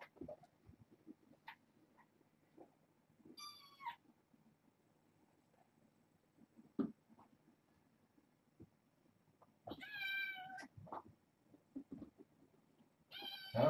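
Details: Six kittens born August 29th at bedtime indoors; a single harmonic meow early, quiet rustling through the middle, then a louder cluster of high meows near ten seconds and another at the very end.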